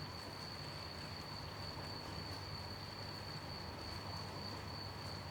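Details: A cricket holds a steady, high, unbroken trill at night over the soft hiss of gentle falling rain.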